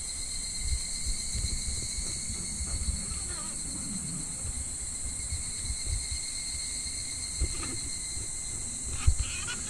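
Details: In July, a steady, high, shimmering drone of cicadas rings over the low rush of a shallow, gently flowing clear stream in midsummer.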